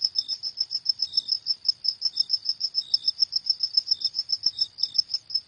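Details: At night, a cricket keeps up quick high-pitched chirps, about six each second, while a second, lower cricket chirps intermittently beneath it.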